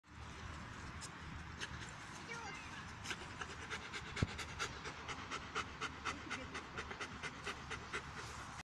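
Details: White Swiss Shepherd named Tor, happy while being scratched, panting in quick uneven breaths about twice a second, with sharp clicks and light noise over a steady background hiss.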